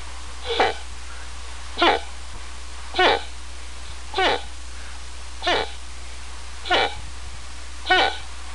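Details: Moose uttering short, abrupt grunts repeated steadily about every second and a quarter, seven in a row against a constant background hiss and low hum.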